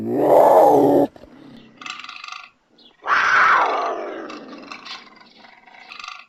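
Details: Puma letting out two loud, hoarse cries, the first steady and the second sliding downward as it fades, with softer raspy sounds following each.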